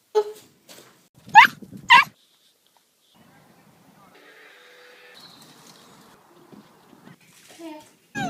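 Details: Beagle giving two loud, high, sweeping yelps close together, with a human voice speaking briefly before and after and quiet household background in between.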